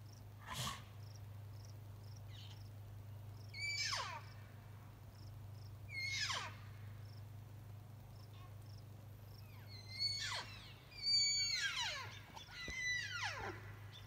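Elk giving high, squealing calls that slide steeply downward, repeated several times over a steady low hum.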